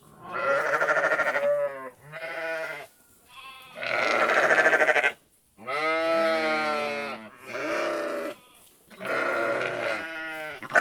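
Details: Repeated sheep bleats, roughly six drawn-out, quavering calls packed closely together, some harsh and loud, others softer, with only short gaps between them.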